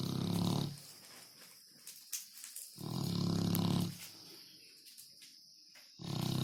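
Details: A snoring dog gives loud, low, rattling inhalations about a second long, three in the stretch, separated by near-silent pauses with faint small noises.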